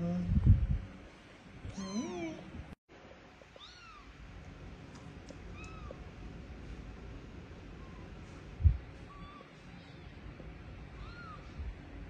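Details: Rescued kittens that lost their mother, kept in a house: thin arched meows, each rising then falling, scattered singly across the recording between low rumbling handling noise and a loud thump near the start.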